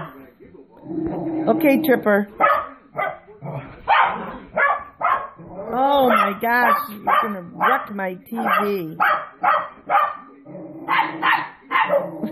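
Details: Two little dogs at home excitedly barking at dogs on a TV screen, a run of short, clipped barks packed closely together, mixed with bending, voice-like tones and television chatter in the background.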